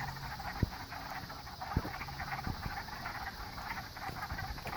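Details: Frogs calling in a pond chorus: a dense, steady mid-pitched trilling texture runs throughout, broken by a few sharp low knocks and clicks nearby.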